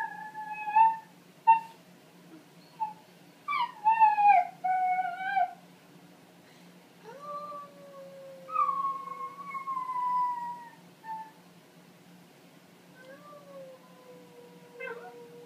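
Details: Italian Greyhound warming up its voice with short yips and wavering notes, then drawn-out, falling howls separated by brief pauses, each long tone sliding gently downward and tapering off.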